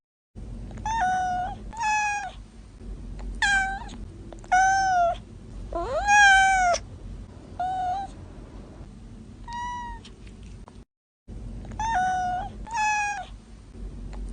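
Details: A run of kitten meows, about a dozen short tonal cries in quick pairs and singles, one longer rising wail in the middle, over a low continuous hum with a brief silent break near the end.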